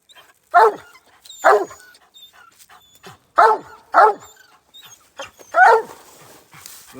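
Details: Raccoon-hunting hound in Iowa barks at a tree where a raccoon is hiding. Five loud, rough barks come at uneven gaps, with a pair close together, over a quiet rural background with faint scattered sounds.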